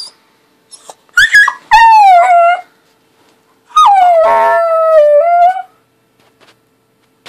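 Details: Two long, tuneful howls from Bentley, a happy tail-wagging puppy: the first dips then levels off, the second jumps up sharply and holds nearly two seconds before rising slightly at the end; near silence between.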